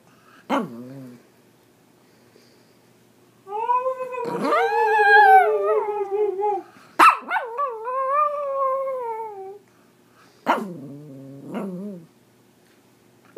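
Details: Pomeranian dog in India howling in a singing manner: drawn-out, wavering tonal howls with rich harmonics, one long howl around four to six seconds and another sliding downward, separated by short yips and silent gaps.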